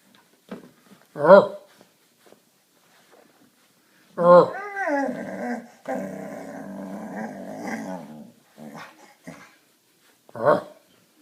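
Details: Collie at her nightly play game producing strange noises: short yelp-like bursts, then a long rising-falling moan trailing into a sustained growly whine, with brief speech nearby.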